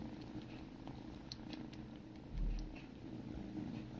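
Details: Kittens, siblings, groom one another while a low purr drones on. A brief soft thump near the middle rises above the steady vibration, and a few faint clicks are heard.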